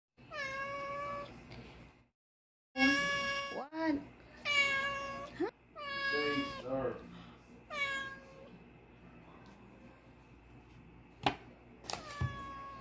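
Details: Hungry domestic cats meowing for food at their owner's dinner indoors: a series of drawn-out, harmonic meows, several overlapping, repeated about every second or two, then brief clicks and a short final meow; a woman speaks briefly.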